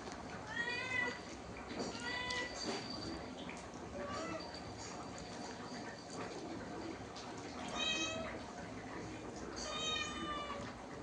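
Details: A pet cat gives several plaintive meows, two close together early on and two more near the end, over a steady bed of background music and occasional human voices.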